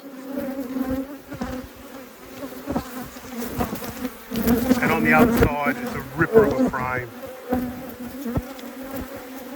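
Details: Honey bees humming at a hive during an apiary inspection: a steady, low droning buzz runs throughout, broken midway by a few seconds of a man talking and by occasional handling knocks.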